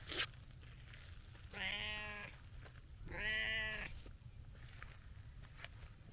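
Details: Rough-voiced brown tabby stray cat, too impatient to wait its turn to be petted beside a gentle orange-and-white cat, gives two hoarse, harmonic meows of about 0.7 seconds each, roughly a second apart, over steady low rumbling background noise.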